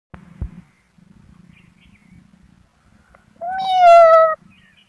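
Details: Kitten giving a single clear, tonal meow about one second long, steady then slightly falling, after quiet soft rustling and a brief knock.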